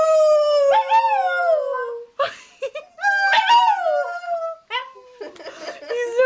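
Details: Rat Terrier joining a person in a howl, drawn-out sliding howls that swell and bend downward, broken by short yips and pauses, a woman's voice mixed into the chorus.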